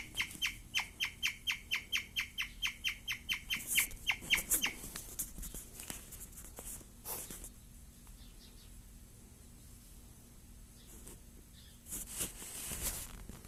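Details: A female guinea pig, very excited while eating wheatgrass for the first time, chirps in fast, high, bird-like pips that fade into quiet rustling; guinea pigs make this sound when very excited.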